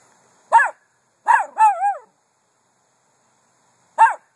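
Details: Miniature Poodle barking indoors: a single sharp yap, then a quick double bark ending in a wavering whine-like note, a pause of two seconds, then one more yap.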